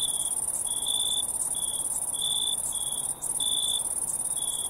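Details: Crickets at night keep up a continuous shrill high whine, with lower, clipped chirps repeating unevenly every half second or so. No other noises intrude.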